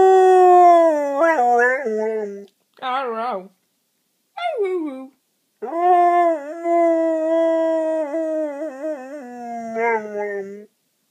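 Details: An English Springer Spaniel "talks" with its owner in a series of long, tuneful, wavering whine-howls, its pitch sliding up and down, with short pauses between bouts as if answering in conversation.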